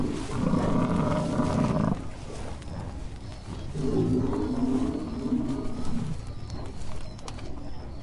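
Two long, low, growling roars from an American bison, each about two seconds long, with a short pause between them. The voice is deep and rough, with a faint outdoor hiss behind it.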